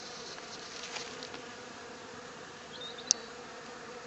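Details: Honey bees inside a workshop they had unexpectedly begun visiting. A constant low humming drone continues without a break, with a few brief high squeaks and one sharp click near the end.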